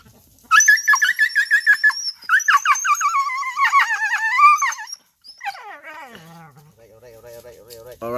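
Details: Injured male dog with a hurt rear end, not wanting to be touched, crying in a run of high, wavering, tonal whines and yelps for about four seconds, followed by lower sliding whimpers while a person speaks soothingly.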